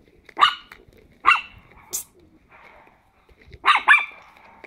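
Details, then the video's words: Playful Chihuahua puppies aged ten weeks yap indoors: two shrill single barks about a second apart, a short squeak, then a double bark near the end, with soft growling underneath. "Chihuahua Puppies 10 Weeks Old Playing"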